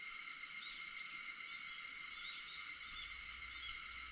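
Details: Cicadas on an August 4th morning at 4:50, a dense, steady high-pitched shimmering drone with layered bands, unbroken throughout, no other clear sounds.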